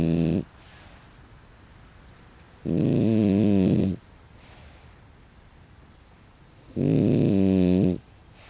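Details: French Bulldog sleeping hard in a tent sleeping bag after playing at the beach, snoring very loudly: long harsh rasping snores about a second each, returning every four seconds with quiet breathing between.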